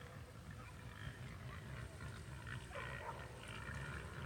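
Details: A group of angry, agitated pigs, some big, grunt deeply and continuously with rougher, higher squeals breaking through toward the end, just before three are taken from the group.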